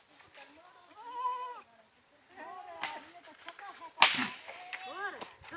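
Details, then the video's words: Goats bleating, bakri palan, with several wavering, stacked-harmonic bleats rising and falling, one long bleat near the start and shorter arched calls later, a sharp clack midway and faint voices in the background. "Goats Funny Sounds Videos Funny Goat Videos bakri palan"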